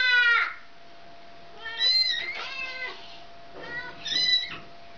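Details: Mother cat calling for her kitten, wanting it back; three loud, drawn-out meows with rich harmonics, each rising then falling, spaced about two seconds apart, with quiet pauses between them in an indoor setting.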